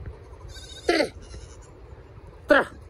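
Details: Goats being herded while a man calls out to them. Two short, harsh, wavering bleats about a second and a half apart can be heard over his voice.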